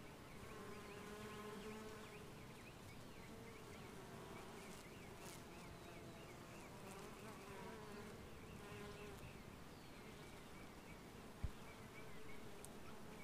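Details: Honey bees, recorded in 2015, fill the air with a steady, low droning buzz of many wings beating together.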